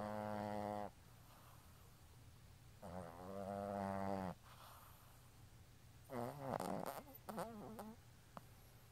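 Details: A Boston terrier snores in long, rattling, nasal breaths, with a low hum underneath.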